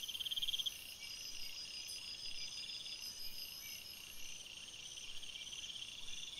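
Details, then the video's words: Crickets chirping at night in a forest: one loud, fast beaded trill opens briefly over a constant background of high, overlapping insect trills. "Crickets Sounds, Night Sounds"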